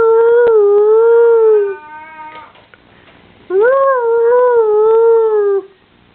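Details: Dog howling twice: a long steady wavering tone that fades with a brief softer whine, then a second howl swooping upward and gently falling over about two seconds.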